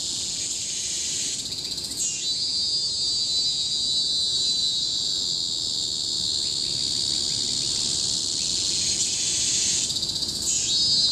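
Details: Deafening cicada chorus in Bukit Timah Hill forest, Singapore, 2017: a continuous high whine, with dramatic upward-sweeping surges near two and ten seconds, separated by a long steady droning stretch.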